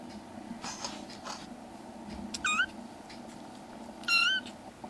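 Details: Foster kitten indoors, one of three black kitten brothers, gives two clear high meows about a second and a half apart, each bending down in pitch, over steady low household hum.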